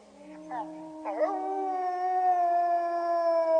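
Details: A wolf chorus howling, meant to set off howling in pet dogs: two short yelping, wavering notes lead into long, steady, overlapping howls held at steady pitch and swelling slightly louder toward the end.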